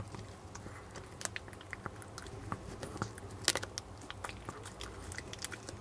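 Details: Jamong, a male Maltese dog born in December 2015 in Gwangju, gnawing duck neck bones indoors; sharp, irregular crunching bites and cracks in quick bursts, with one loud snap near the middle, in a quiet small room.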